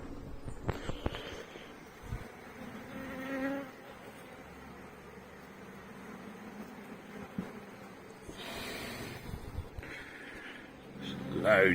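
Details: Honey bee colony buzzing during a week-seven hive inspection of a healthy colony with a laying queen, seven weeks after a nucleus was installed; steady droning hum with frame handling knocks and rustles, a brief breathy noise near the end.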